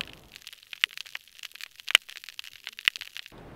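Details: In a healthy hard-bottom habitat of Florida Bay, Florida, where large sponges harbour many snapping shrimp, a hydrophone picks up a dense, sizzling crackle of sharp, dry clicks and pops from the shrimp.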